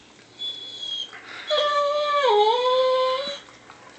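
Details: An excited Weimaraner, provoked a little, howls with a Labrador-Weimaraner mix: a thin high whine, then a sustained howl that sags midway, recovers, and trails off after about two seconds.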